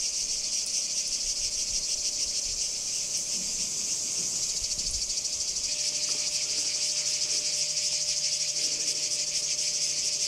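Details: Singing cicadas at Kardamyli in 2013: a continuous high, dense buzzing drone with a fast pulsing texture, steady throughout, with faint low rumbles beneath.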